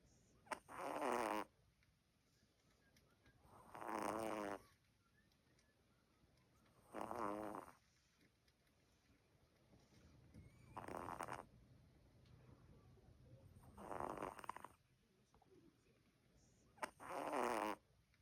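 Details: Albino Bichon Frise puppy snoring, six rhythmic rasping breaths about every three seconds, each a broad harmonic snore with a quiet gap between, soft steady background hum.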